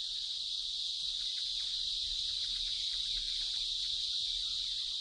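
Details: Male cicada's mating song, made by vibrating a membrane on both sides of its body to attract females and amplified through its whole body; a dense, high, steady hiss-like buzzing that never pauses across five seconds, with no other clear sounds.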